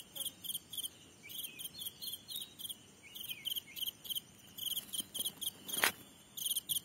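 A grasshopper stridulates in quick, high, scratchy pulses, repeated in steady bursts.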